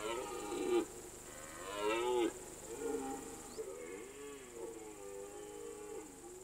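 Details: Rutting red deer on alpine mountain pasture, September–October season; two strong, rasping roars open the recording, then softer wavering bellows trail on, with a continuous high-pitched hiss in the background.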